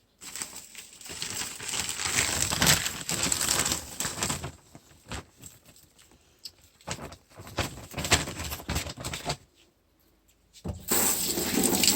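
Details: Bursts of crinkling and rustling handling noise broken by a short near-silent pause, with no animal voice.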